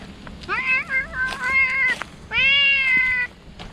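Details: Stray cat greeting someone it knows, shouting with joy after leaving the shade of a tree: two long, loud, wavering meows, the first bending up and down, the second held steady, with faint outdoor background.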